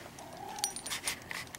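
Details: Pet cat Puck, missing its owner, greets her indoors on her return home; a single short tonal meow-like cry, followed by rustling, soft clicks and bursts of handling noise in a small room.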